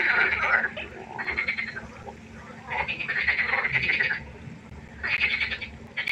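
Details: Night frog chorus beside a pond, with dense rattling croaks in rapid pulsed bursts lasting about a second each, separated by short quieter gaps.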